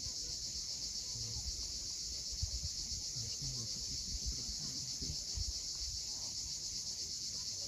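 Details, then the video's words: On the steep Crimean shore at Cape Fiolent, cicadas at sunset keep up a dense, level high-pitched buzz without pauses; low wave wash and small pattering sounds sit beneath the drone. "Cicadas at sunset."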